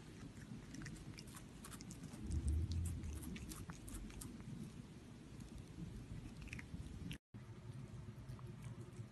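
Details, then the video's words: Cat eating food in the Lunch With Lily series: steady, crunching chews with deep, soft thuds and a short silent gap near the end, inside a small room. "CATS EATING FOOD"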